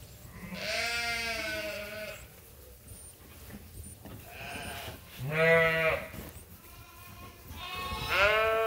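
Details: Farm sheep awaiting their feed during chores at Ewetopia Farms call in three separate bouts: a long wavering bleat, a shorter harsh one after a gap, and a final rising cry, with quiet rustling between calls.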